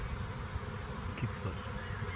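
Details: Honeybee swarm of about a million bees giving a thick, continuous low drone with small flickering surges of buzzing throughout a short stretch.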